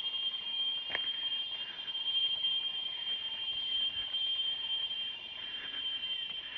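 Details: A cicada buzzes continuously, high and piercing, holding steady, with faint rustling and a distant voice underneath; recorded on country roads near Almolonga, Naolinco, Veracruz, Mexico, on 10 April in the hot season.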